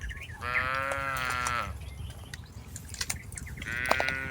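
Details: Cattle under herding in a rice field: a long, steady harmonic call of over a second, then after a pause a second call starting, with clicking and crackling noise in between.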